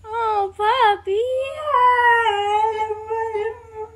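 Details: Complaining Siberian Husky named Atlas, eager to join the boys outdoors, recorded with an iPhone XR; a run of loud talkative howls, short bent yelps leading into a long sustained wavering note that fades out.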